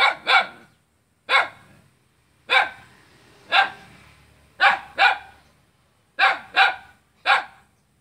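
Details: A dog barks at its own neighbour in Selat, Kapuas, Central Kalimantan, on 5 August 2017: ten sharp barks about a second apart, some doubled, ringing with reverberation between them.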